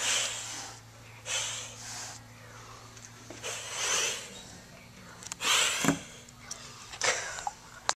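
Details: Kittens without a mom acting tough, hissing as part of learning defence reactions; breathy hisses come in uneven bursts, one ending in a short spit, with a faint room hum beneath.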